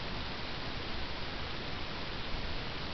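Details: Steady broadband hiss like static or rushing air, with no animal voice heard. The noise stays even throughout, with no calls or chirps breaking through.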